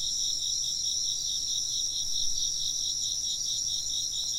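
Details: Short passage of insect chirping, a continuous high trilling chorus with a rapid, even pulse in one caller beneath a steadier shrill tone, no other clear sounds.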